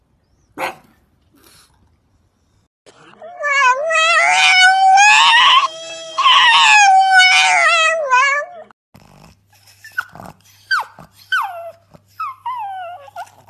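A pug 'sings' with two long, wavering howls that rise and fall in pitch, separated by a brief pause. Several short, high barks and yips follow, dropping quickly in pitch.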